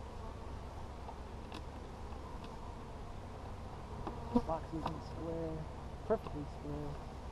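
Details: Honey bees checked on 17 July 2020, a colony captured from a log the week before; low steady droning hum with a few louder buzzy passes close by, mid-way and near the end, plus faint scattered clicks.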